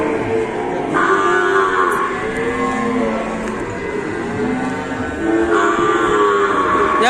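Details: Cattle in Indonesia mooing in long, wavering calls that rise and fall over several seconds, with music playing steadily underneath.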